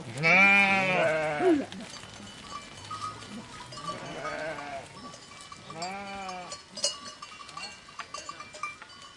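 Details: Sheep (Ovis aries) bleat in wavering, nasal 'baa' calls: one loud call first, then softer ones spaced a few seconds apart.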